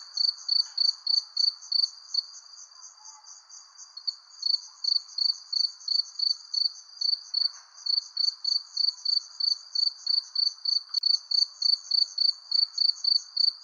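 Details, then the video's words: Crickets under a persimmon tree as the sun sets, rapid evenly spaced high-pitched chirps with a short softer stretch early on, layered over a quiet low insect drone. "Relaxing Cricket Sounds Under Persimmon Tree"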